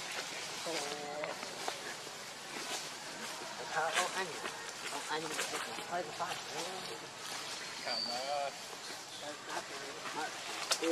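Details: Hungry baby monkey named Lucie, begging its mother for milk: a steady run of short, thin harmonic whimpers and wavering cries, some rising and falling in little bends, over a hissy outdoor background with occasional broadband noises.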